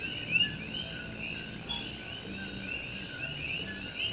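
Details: Puerto Rican coqui frogs singing at night during rain on an old tin roof in Morovis, Puerto Rico; many overlapping short rising whistled notes form a dense chorus over steady rain hiss.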